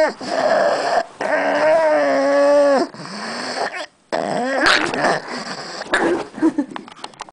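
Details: Pet female pug growling while guarding a bone: a sustained harmonic growl of about two seconds, then rougher, broken growls and wheezy snorts trailing off.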